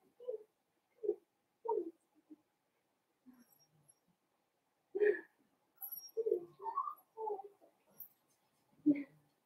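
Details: Blenheim Cavalier King Charles Spaniel puppies from a litter of five born at New Year, kept in an indoor puppy pen, giving short, irregular yelps and whimpery squeaks with brief silences between bursts.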